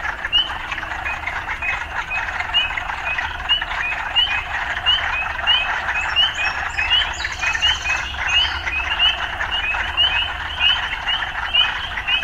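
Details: Many frogs in a city environment keep up a dense rasping chorus, with quick upslurred chirps tumbling over one another and faint high squeaks partway through, all over a low steady hum.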